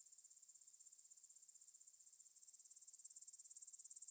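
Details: Grasshoppers stridulating in a meadow field near the Svensky monastery, Bryansk, Russia, at 9pm on 6 September 2020, taken on a Tascam DR-44WL in stereo: soft, very high hissing chirr pulsing rapidly, with a slight shift in texture midway.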